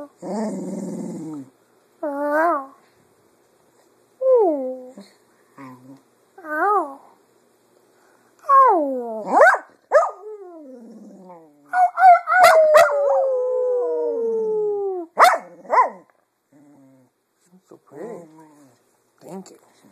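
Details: A female Cocker Spaniel sings in the afternoon, mimicking her owners' voices, in wavering, rising and falling howls and whines with short pauses between.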